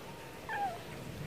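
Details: Stray cat wanting food gives a brief, soft mew that slides downward in pitch, heard once against quiet background noise.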